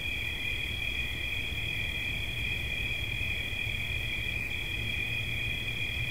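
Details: Steady cricket trill for relaxation, sustained at a high even pitch with a fainter overtone band, against continuous low-frequency background noise.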